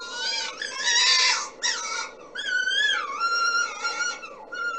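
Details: Red fox mating screams, said to be made by females to attract males, played back during a guessing game: harsh, strident harmonic screams in several bursts, some wavering and sliding down in pitch, over a low room hum.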